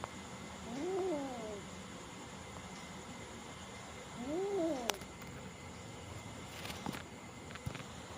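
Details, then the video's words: Small cat frightened by a bigger cat gives two drawn-out, wavering meows, each rising then falling, about three and a half seconds apart. A low hum runs underneath, with a few clicks and knocks near the end. "Mini is scared by the big cat"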